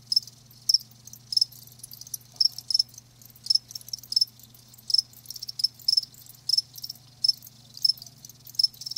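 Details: Crickets kept live give rapid high-pitched chirps at a fairly regular pace, about two per second, with a constant low electrical-sounding hum underneath.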